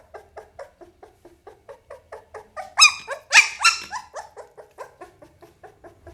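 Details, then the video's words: Young Pit Bull pup giving soft, regular whimpering notes about twice a second, broken by a few loud shrill squeals near the middle before settling into quieter whines again. "เสียงหมาน้อย ลูกพิทบูล"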